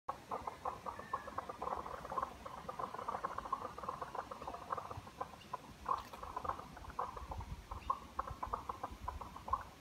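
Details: Frogs along a walking trail through vegetated forest: dense, rapid chorus of short clicking and croaking notes, steadily repeated and overlapping, with faint rustling underneath.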